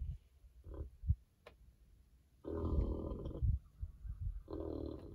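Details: Berkshire pigs rolling around and squealing with joy during treatment for external parasites: soft low grunts at first, then two strong, tonal squeals with a bright upper edge, each under a second long.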